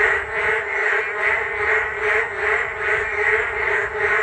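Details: Frogs chorusing beside a walking path along the Geum River on a rainy day: a dense, continuous croaking chorus that swells and fades in a steady pulse about two to three times per second.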